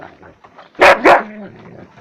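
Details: Husky, angry while eating a bone, gives two loud, harsh barks about a quarter second apart, then a fainter drawn-out lower tone, indoors.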